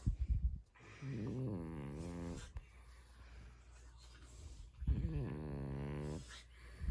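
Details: Mungchi, a pet dog tickled on its paws while sleeping, makes a pair of low, quavering moan-like grumbles, each a second or more long, with snuffly breaths between them.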